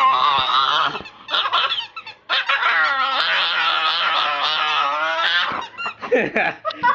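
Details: Staffordshire Bull Terrier pup, female, indoors, reacting to continuous squeaks from a squeaky toy with weird sounds: a drawn-out, wavering, high whining yodel with rich harmonics lasting several seconds, broken by short squeaky yelps.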